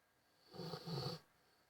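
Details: A sleeping Rottweiler snores with a low, rattling rumble drawn out over about half a second.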